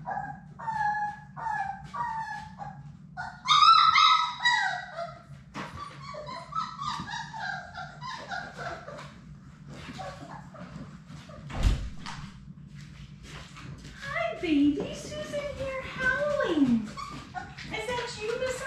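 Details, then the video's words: Six Labrador Retriever puppies, Sadie's litter, playing together in their play room; high whiny yips and whimpers come in quick overlapping bursts, with short barks and squeaks scattered throughout against a low steady hum. "Cute Labrador Retriever puppies in their play room!"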